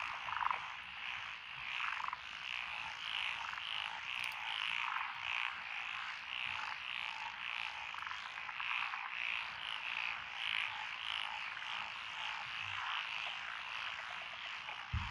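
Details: Many frogs calling together from lotus-field rice paddies beside a country road in Echizen City, Fukui Prefecture, June 12, 2021; a steady wall of rapid croaking, with clearer pulsed notes standing out now and then.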